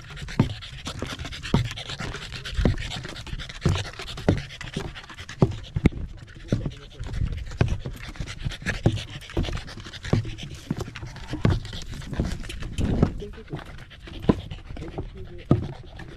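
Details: Corgi out on a sunny autumn hike up a rural mountain, Mount Jinbagata, with views of the central Japanese Alps and Ina Valley; steady breathy panting beneath regular footfall crunches, with faint voices now and then.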